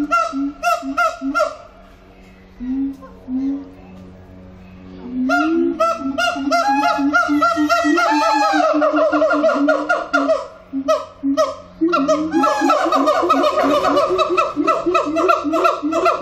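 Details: Siamang song at Antwerp Zoo: loud barks and rising hoots that accelerate into a dense, overlapping chorus of harsh harmonic calls, rapid and almost continuous, with brief pauses between bursts.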